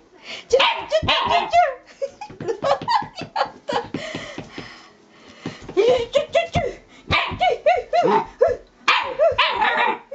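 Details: Elderly Shiba Inu indoors making its usual fuss before pooping: rapid high yips and whiny barks in dense bursts, with short pauses around four and eight seconds.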